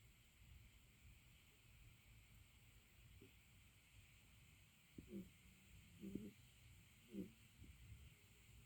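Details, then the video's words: Umi, a pet cat, snoring through a long quiet stretch: low steady background, then from about five seconds three short, low rasping snores spaced roughly one second apart, each with faint overtones. "Umi the cat snoring"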